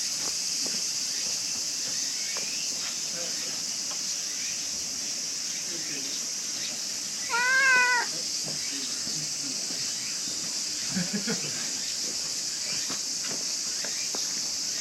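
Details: Brown female stray cat in Japan, being petted after coming close: one clear, rising-then-falling meow lasting under a second near the middle. A steady high insect drone and faint rustling continue throughout.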